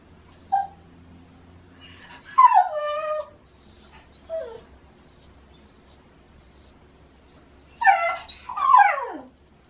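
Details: Autumn morning cries from Shiba Inu Baku, noisily demanding a walk in the season of love: scattered high whimpers and falling wails, ending in two louder, stacked howling cries that drop in pitch.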